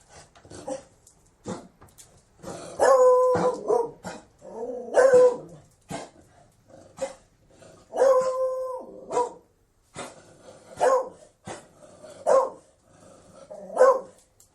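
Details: Beagle barking in a run of loud, drawn-out, harmonic bays with short yelping notes between them, strong bouts recurring about every two to three seconds and ending with sharp single barks.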